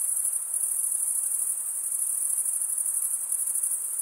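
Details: A short stretch of crickets chirping together: a piercing, evenly pulsing high trill held at constant strength throughout, with no background voices or other animals.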